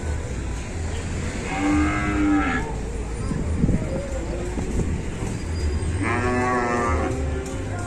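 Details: Cow being helped onto a truck by four villagers in Indonesia, walking unsteadily as if its leg is hurt: two drawn-out moos several seconds apart, with a low rumbling hum, bumps and voices around.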